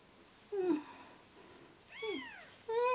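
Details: Newborn rescue kittens on day three of hand-rearing, losing weight; thin, wavering meows with clear harmonics, one falling, one arching up and down, and a final steady high cry, in a quiet indoor setting.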